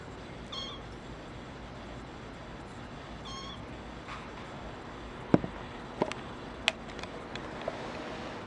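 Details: Young male brown tabby and white kitten giving two short, faint high meows near the start and again around three seconds, followed by a few sharp clicks and knocks against a steady background hiss.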